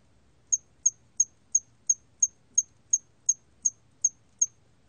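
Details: Hairy cricket singing, 2020 recording: twelve short, piercing high chirps repeated steadily about every third of a second, each clipped and identical, over a quiet low background murmur.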